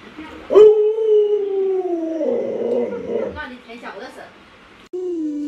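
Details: Luoluo, a pet Alaskan Malamute, is annoyed as its owner pretends to eat dog-meat hotpot. It gives a loud, drawn-out, slightly falling woo lasting under two seconds, then a rougher, wavering stretch, and a short falling howl at the end.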